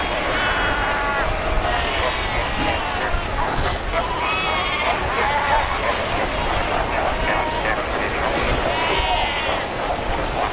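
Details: Cape fur seals in a huge colony of over 100,000 at Cape Cross on Namibia's Skeleton Coast, rocky ocean shore; many overlapping bleating, wavering cries rise and fall over a steady roar of surf.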